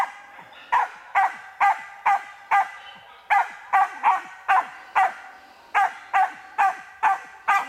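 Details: Karelo-Finnish Laika in training on a marten, barking steadily: clipped, ringing barks repeated roughly every half second in a fairly even rhythm, over a faint background hum.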